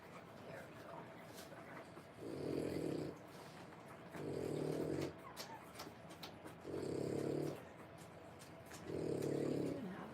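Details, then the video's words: Three-week-old French Bulldog puppies born in January 2025, resting in a whelping area; soft, low, rhythmic snoring or breathing bursts about every two seconds, with a woman's quiet speech faintly present. "French bulldog puppies. 3 weeks old"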